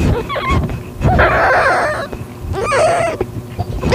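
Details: Calitabby cat in heat, at home on 8 September 2021 at 6:30 PM while accepting a found calico kitten; two loud, drawn-out harmonic meows about half a second each, preceded by short high chirps, over a low background rumble.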